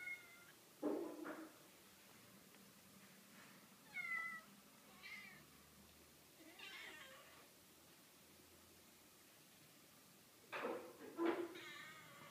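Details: Several cats meowing indoors: short harmonic meows near the start, around four seconds, near seven seconds and again near eleven seconds, separated by quiet gaps with faint room noise.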